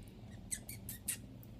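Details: A five-month-old female F1 Savannah cat purrs with a low, steady rumble while wanting to be held and given affection, though also restless and wanting to play.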